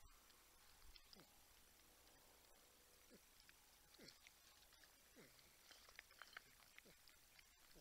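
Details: Wild porcupines on a live wildlife camera at Texas Wildlife Cam, San Angelo, Texas, near a 10-point buck and a raccoon: soft, repeated humming whines, each sliding downward, scattered through steady outdoor background noise.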